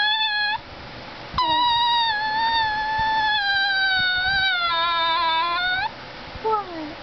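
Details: A greyhound–Chihuahua mix named Gizmo, called a talking dog, produces long sustained, tonal yowling whines, a brief one then a drawn-out wavering note lasting several seconds, ending with a short downward-sliding whimper.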